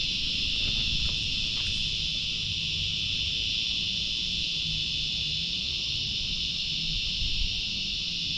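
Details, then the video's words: Cicadas in trees near Peacock Hill (Monaragala Hill) in the Doragala area of Pussellawa, Sri Lanka: a loud, continuous high-pitched shrill drone holding steady throughout, with faint low rumble beneath. "මේ ගල්ලිද්ද ගස්වල ඉන්නවා රැහැයෝ. එයාලගේ සද්දය අහන්න."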